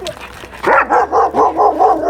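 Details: Dog barking in a rapid run of about six short, harmonic barks after a brief snort, with a person speaking before.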